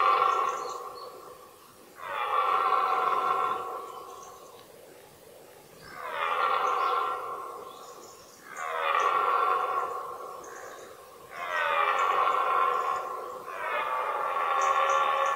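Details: Red deer stag bellowing during the 2018 rut, a season marked by fights between stags: five long, deep, harmonic roars, each about two seconds, repeated every two to three seconds with short quiet gaps and faint bird chirps between.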